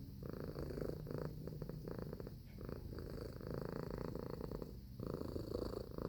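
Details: A purring cat, continuous throaty vibration with a steady rhythm, the rumble easing briefly around each breath before resuming at full strength.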